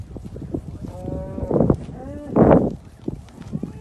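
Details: Limousin bull at grass with cows on a farm near Penrith, UK; brief harmonic lowing notes around one to two seconds, then a louder broad burst, over steady low background noise.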